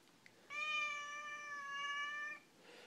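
A Siamese cat gives one long, drawn-out complaining meow, steady in pitch with a slight sag midway.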